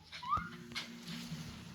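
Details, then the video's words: Schnauzer named Nuru indoors, giving a short high whistled whine that rises then slides down, single note, while a person nearby asks whether to go out; faint room hum underneath. "슈나우저가 이렇게 귀여운 소리를?"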